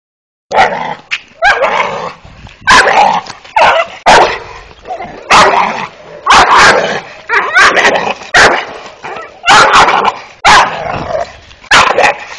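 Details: Malt, a five-month-old Dogo Canario puppy, barking in loud broadband bursts, roughly one every second, some clipped, with yips and short growly sounds between barks.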